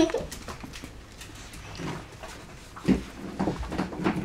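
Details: Lively Border Collie x Australian Shepherd pups, nine weeks old, at a Minnesota rescue: short low whines and grunts with a few sharper yelps near the end, amid indoor shuffling.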